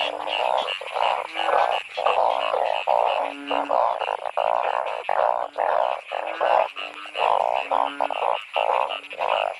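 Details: Seasonal chorus of narrow-mouthed frogs in heavy rain during a torchlight frog catch. Blocks of loud, bleating croaks come in bursts about once a second, with low nasal honks threaded between them.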